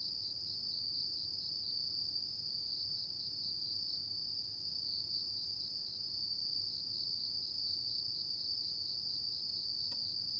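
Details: Night chorus of autumn insects, a continuous shrill ringing tone at constant high pitch with fine even pulses, loudness flat throughout, a brief faint tick near the end, quiet background otherwise.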